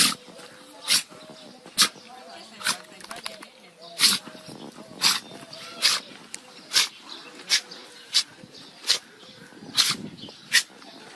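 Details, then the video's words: Dogs caught in sneeze attacks: sharp, explosive broadband sneezes repeat roughly once a second in a rapid fit, with a person talking and praising the dog in between. "Funny Dogs Sneezing Compilation"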